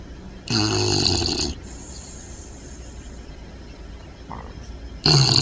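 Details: Puppy snoring loud in its sleep, a strong gravelly inhale at the start, a long quiet pause with a tiny squeak, then another rough snore breaking in at the end.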